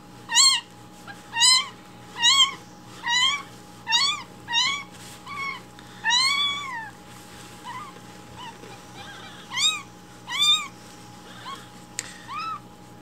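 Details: Hungry rescued baby kittens calling loudly for their breakfast milk in the morning, indoors; piercing, arched mews about once a second, a longer drawn-out cry near the middle, then a pause before more mews, with a faint hum behind.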